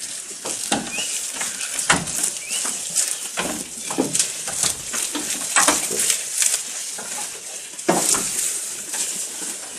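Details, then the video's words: Close-up recording of a goat while eating: crisp crunching bites and rustling come in irregular bursts, some sharper snaps standing out, with a faint brief chirp in the background. "Goat Eating Sound with Close Video"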